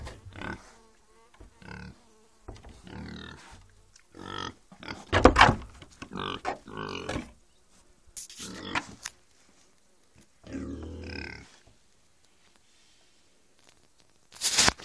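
A pig gives short, harsh grunts broken by a few shrill, noisy squeals.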